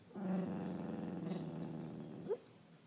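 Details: Marley the dog snoring: one long, low, rattling breath of about two seconds, ending in a short rising squeak, with quiet surroundings after.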